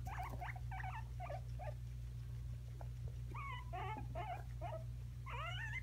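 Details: Two guinea pigs fighting over peppers, giving bursts of short, rising squeaky chirps in quick clusters, with sharper wavering squeals toward the end, over a steady low electrical hum.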